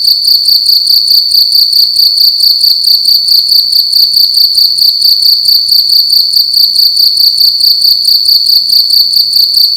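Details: Cricket chirping loudly at night inside a room. It keeps up a very loud, high, ringing trill pulsed in rapid, even beats with bright overtones above, and nothing else is audible.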